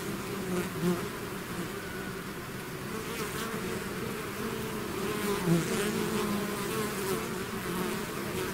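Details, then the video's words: Swarm of bees pouring out of the hive: a constant layered buzz, low hum with wavering tones as single bees fly near and away. "bees therapy swarm natural buzzing sound"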